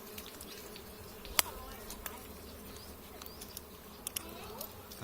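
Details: A colony of giant honey bees droning steadily while their comb is cut for honey in July 2023, with scattered sharp clicks and knocks from the harvesting work over the hum.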